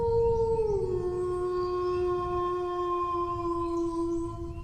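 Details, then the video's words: Single dog howl that slides down from a higher tone into a long, low, steady note sustained for nearly four seconds, gently wavering near the close. "howling dog sounds"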